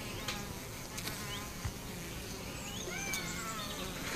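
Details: Honey bees with chronic bee paralysis making a steady humming buzz, with a few clicks and several short rising bird whistles in the background.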